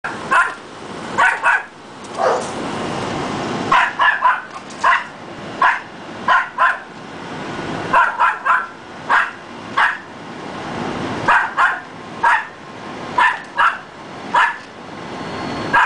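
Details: Dogs barking in sharp, short bursts, often in doubled or tripled barks spaced about a second apart, continuing steadily throughout against a hissy background.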